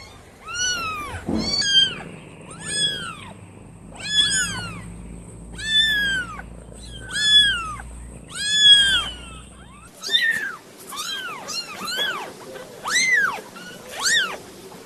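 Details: Newborn domestic kittens calling insistently: about a dozen bright, arched mews, rising and falling, repeated roughly every second, over a low hum that stops midway.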